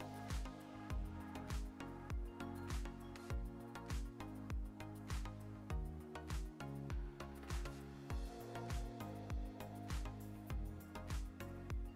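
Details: Rhythmic instrumental music with a steady beat and sustained bass notes, and no animal sounds.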